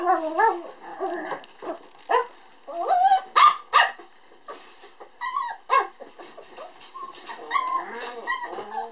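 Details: A red male puppy, born on 22 December, whimpers almost without pause: shrill, bending whines mixed with sharp little yips, some rising and falling, in an uneven busy run.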